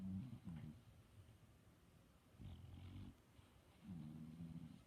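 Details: Sleeping dog snoring: three low, rattling snores, each lasting under a second, with quiet pauses between, in a still room.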